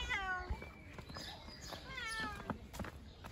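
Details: Bengal cat riding in a backpack on a walk meows twice, each a clear descending tonal cry about two seconds apart, amid rustling and faint handling sounds.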